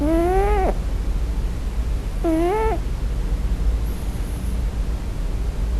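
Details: Sleeping Scottish Fold kitten crying for its mother during its first night: two tonal, slightly rising whimpers about two seconds apart, each under a second, then quiet with low background hum.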